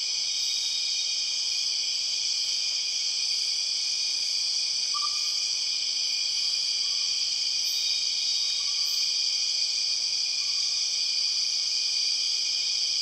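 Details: Borneo rainforest chorus of empress cicadas, a dense, even, high-pitched whine held without pause, while a lower short whistled note repeats faintly about every two seconds in the background.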